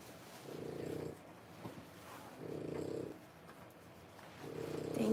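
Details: French Bulldog pups at three weeks, born 1/10/25, alongside mother Boots; slow, low snoring breaths roughly every two seconds, hoarse and muffled, the last one ending in a brief sharper squeak.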